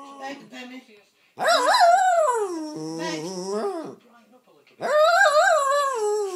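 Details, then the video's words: Pet jack russell terrier demanding its owner's coffee, giving long, loud, wavering yowls that rise and fall in pitch, with a short soft whine before and a second drawn-out vocal complaint after a pause. "Pennie telling me off because she wants my coffee"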